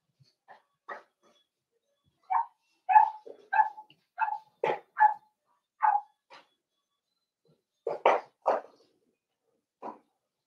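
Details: Cavalier King Charles Spaniel puppies, four weeks old, in an indoor pen while meeting other dogs and trying puppy mash: a quick, irregular string of short yips and squeaks, roughly a dozen over ten seconds.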